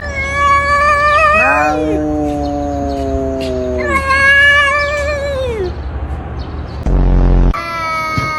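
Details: Domestic cats fighting: long drawn-out wailing howls, some gliding down in pitch, others held steady or rising, overlapping from more than one cat, with a brief loud low thud near the end.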